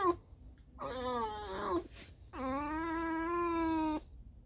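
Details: Alice, a tame fox resting after a night out digging holes, gives two drawn-out squeaky whines, the first wavering and falling, the second long and steady, rich in harmonics, in a quiet indoor setting.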